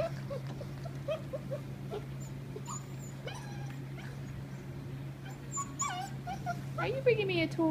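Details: Several Black Russian Terrier puppies of one litter at play, rough-housing with high whimpers and squeaky yips that quicken toward the end, rising into a long whine, over a steady low hum.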